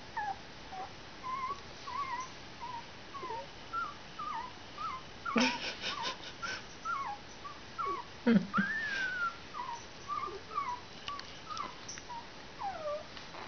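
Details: Week-old puppies give a long run of soft, short, high squeaks and whines, irregular and overlapping, with a couple of louder rising cries, broken by brief rustling or handling noises near the middle.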